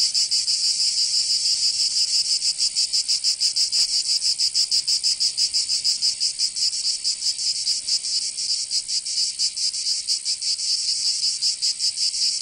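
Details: Summer chorus of cicadas in Provence, southern France: a steady high buzzing wall of sound with softer, less regular pulsing, one brief click near the fourth second.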